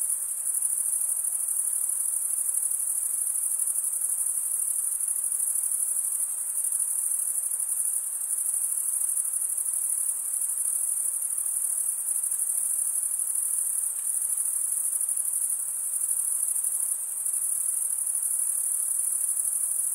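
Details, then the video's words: Crickets stridulating, rubbing one wing across the toothed vein of the other, produce a steady, unbroken high-pitched shimmering trill that holds the same level throughout, with a faint softer hiss beneath and no other clear sounds. "Most relaxing cricket sound for 8 hours"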